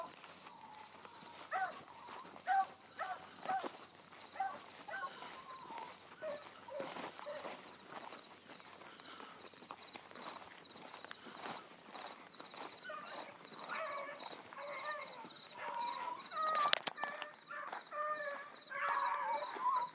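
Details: A pack of Bluetick Coonhounds, one a new pup learning, in full cry after a rabbit early on a summer morning in 2012. Scattered faraway bays come and go, growing more frequent toward the end, amid rustling and steady insect drone.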